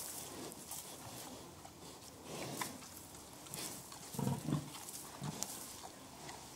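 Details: Pigs expressing contentment with soft, rhythmic grunts in a barnyard; low muffled grunts come in a loose cluster near the middle, with a few fainter ones around them against a hissy background.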